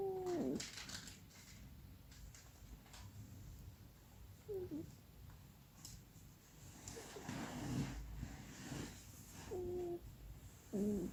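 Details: Female pet cat making odd noises while asleep, apparently dreaming; short high whining squeaks, some bending downward, occur four or five times at irregular intervals, with soft rustling and breathing between them indoors.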